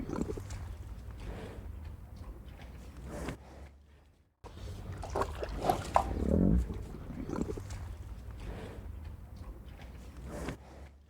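A cow tears and chews grass up close, with steady rhythmic crunching and a brief low moan.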